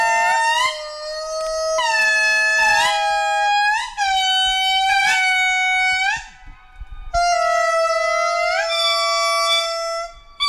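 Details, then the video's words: Indri chorus from a reproductive pair and their 1-year-old daughter, who sings partly overlapping her mother: long, sliding tonal wails rising and falling in overlapping phrases. "In this clip, we are listening to a part of a song emitted by the reproductive pair and their young daughter."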